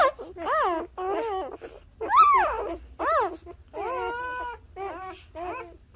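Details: Newborn Labrador Retriever puppies nursing on their mother: a run of about eight high, arching whimpers and squeals in six seconds, some wavering and drawn out, separated by brief pauses, with a faint low hum beneath.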